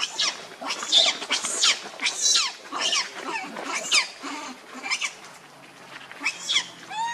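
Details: Rainbow, an angry monkey defending Lucie against Kachoy, lets out a run of shrill, raspy shrieks in quick succession, thinning toward the end, where a short clear whistled note rises.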